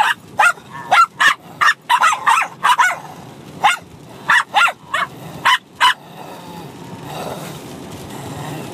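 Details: Bichon Frise puppy, six months old, and an adult dog barking at each other mid-tussle, half fight, half play: a quick series of about fourteen high, sharp yaps in uneven rhythm, then quiet shuffling.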